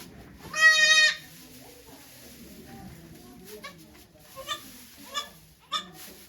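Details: Goat Okayu giving birth to two kids at Yoshigake farm, Japan, on 3 May 2023, watched by many volunteers: one loud, strained, harmonic bleat of about half a second, then several fainter short bleats over soft background murmuring.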